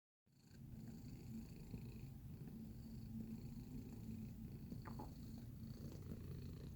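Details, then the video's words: Domestic cat recorded in close-up, purring steadily after a brief silent start: a deep, continuous low rumble with a few soft clicks near the end. "Feline Observational Video - Purring Sound Effect"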